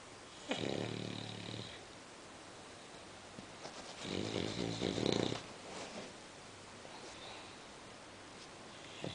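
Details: Sleeping female English Bulldog snoring indoors: two long, rattling, noisy snores about three seconds apart, harsh and broadband with a buzzy low layer, separated by quiet breathing.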